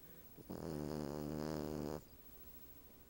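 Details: Cavalier King Charles Spaniel, female, asleep on the back of a couch beside a napping Siamese cat; a single long, rasping snore lasting about one and a half seconds, then quiet.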